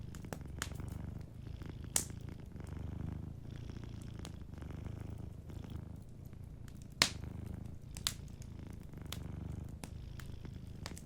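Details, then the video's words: A cat purrs gently while asleep by a warm fireplace, a low continuous rumble swelling and fading with each breath, broken by loud wood pops near two and seven seconds and lighter crackling throughout. "Warm Fireplace Ambience with a Sleeping Cat 🐱💤Fireplace & Soft Purring"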